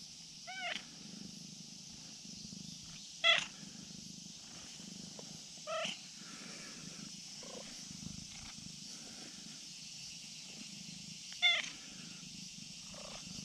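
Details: A friendly brown tabby-and-white cat on a risky slope, calling out and demanding petting: several short, curling meows and chirps spread irregularly, some faint, one louder, against a constant high-pitched background hiss.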